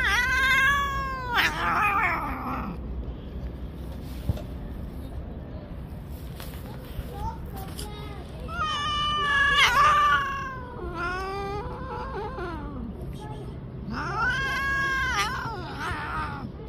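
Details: An angry pregnant street cat threatening to bite; long wavering yowls with rising and falling harmonics, repeated in several drawn-out bouts over steady background noise.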